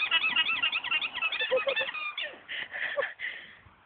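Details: Alpaca at AlpakkaBromma in Norway giving a funny, rapid run of squeaky, warbling honks, about four per second, pitched high, loosening into breathier bursts toward the end.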